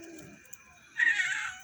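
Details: Pet cat indoors at night while rice is being served to the household cats: a quiet opening, then a loud, bright, high-pitched meow held for about half a second, with a hint of speech just before.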